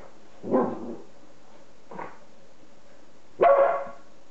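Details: Masha, a female beagle puppy playing with her food indoors, lets out three short, sharp barks: a loud one, a faint quick one about a second and a half later, then a strong final bark.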